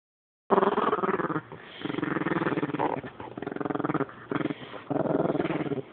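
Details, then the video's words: Rat Terrier, female, growling because she wants her toy: long rumbling growls with a pulsing texture, broken by short pauses and rising again in repeated bouts. "Rat terrier wants her toy"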